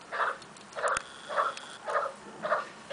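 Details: Bulldog named Shaker, kept as a pet and playing fetch with housemates Rookie and Tyrone nearby, gives five short, gruff, mid-pitched barks spaced about every half second in a steady rhythm, with a faint click in between.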